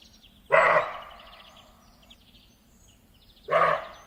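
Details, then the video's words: Deer giving two short, harsh, hoarse barks about three seconds apart, each with a broad raspy tone and a fading echo-like tail, over a low steady background hum. "Deer - Sound effect"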